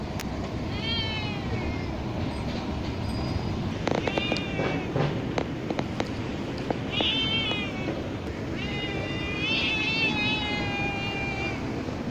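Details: Domestic cat meows meant to attract cats and draw hiding ones out; short high meows scattered over a steady broadband background noise, with several clicks and thumps.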